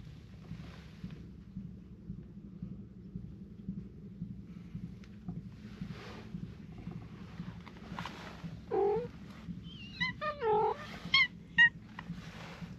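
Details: Stray cats gathering around give several short, falling meows close together near the end, after a stretch of low steady background hum with faint rustles and footsteps.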